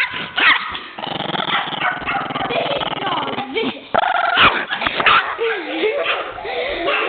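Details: Pet Chihuahuas indoors, Elsie going wild after friends tease her, with the other Chihuahua, Macy, also barking: sharp, high yapping barks and whiny yelps in quick bursts, mixed with people talking and laughing.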